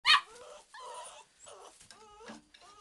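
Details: Old English Sheepdog puppies at play: one sharp, loud yelp-like bark opens, followed by a string of softer, wavering whines and whimpers that rise and fall in pitch.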